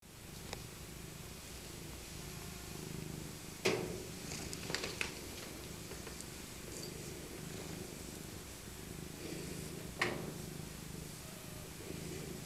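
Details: Maca, an elderly rescued female tabby cat born in 2000, purring while being cuddled in her soft winter coat; steady low rumbling purr throughout, with occasional sharp clicks and rustling bursts near four and ten seconds.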